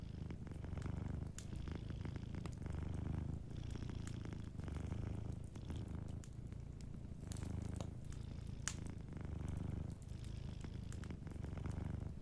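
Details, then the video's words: Soft, rumbling purr of a cat sleeping near a fireplace, swelling roughly every two seconds with each breath, under a steady sprinkling of crackling fire sounds. "Sleeping Cat 🐱💤Fireplace & Soft Purring"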